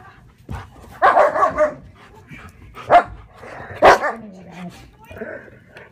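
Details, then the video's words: Sheba, a German Shepherd, guards her owner from fellow German Shepherd Max: a cluster of rough, noisy barks, then two single louder barks about a second apart, followed by a low drawn-out growl, with faint speech. "German shepherd Sheba guards me from German shepherd Max"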